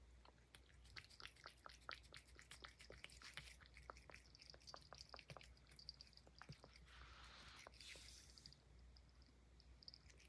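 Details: Puff, a Highland Lynx cat, eating banana peel: rapid run of sharp, moist clicks and crunches through the whole stretch, with a brief rushing noise burst near the eighth second over a low steady hum.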